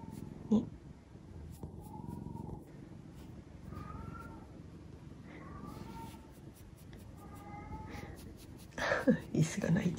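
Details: Black-and-white house cat waiting in ambush after its owner's bath and fussing affectionately in a high, girlish voice; four or five short, tonal meows a second or two apart, some bending upward, with a person talking and rustling at the end.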